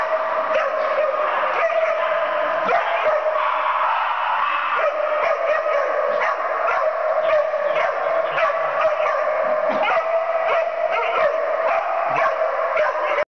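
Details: Puppy Percy in rough play, giving an unbroken stream of shrill, nasal growling whines with frequent quick yips and snaps layered through it, keeping up for over ten seconds.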